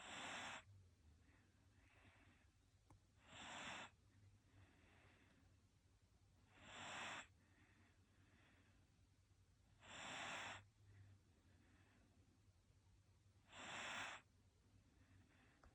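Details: Japanese Shiba Inu dozing: five short, breathy snorts come at a steady pace of about one every three seconds, each a hissing rush of air with a thin whistle on top, with softer breathing and quiet between them.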